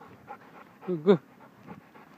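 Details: Irish Setter letting out one short rising whine that climbs sharply and then breaks off, with softer voiced murmurs before and after, a steady low hum and nearby speech.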